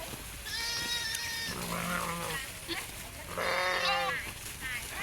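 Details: Garole sheep eating; two high, quavering bleats about three seconds apart, with a person's low calling voice between them and handling noises around.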